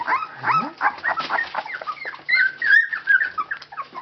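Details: Labrador Retriever puppies aged 19 days, kennel Labradors Yochiver in Belgium, making a racket: a low rising squeak early, then a busy mix of high, curving squeals and short whimpers in quick succession from several pups.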